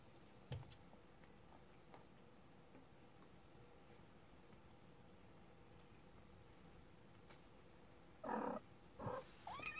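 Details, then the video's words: Thirty-day-old kitten indoors, mostly quiet room tone and then a few short, soft mewing calls bunched near the end, the last one rising in pitch. "Kitten Day 30"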